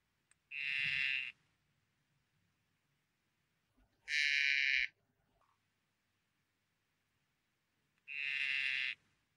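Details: Poison dart frog producing three separate buzzy trills, each lasting under a second, spaced roughly every four seconds, with quiet between them.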